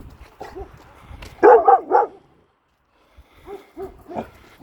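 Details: Kangal Nazo reacting to a strange female dog in the neighbourhood: a loud burst of three gruff barks, a brief silence, then softer, more distant barks trailing off.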